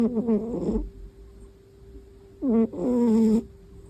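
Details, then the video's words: A sleeping pet cat snoring indoors: two drawn-out, nasal, rasping breaths with a wavering pitch, about two seconds apart, while a faint steady tone hums in the background. "kalau tidur suka ngorok"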